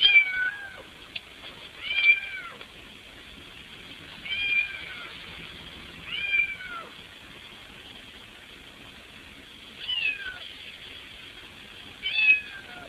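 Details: Cat meowing insistently at a window while trying to get into the house: six loud arched meows with dropping ends, spaced unevenly two to four seconds apart, with a faint background hum.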